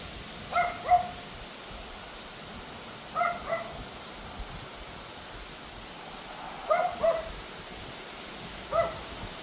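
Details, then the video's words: Pomeranian yapping at a howling wind storm, early evening in August; four bursts of one or two sharp high barks, spaced a few seconds apart, with steady wind noise throughout. "Dog Barking at Wind Storm howling Pomeranian annoying neighbour bark nuisance"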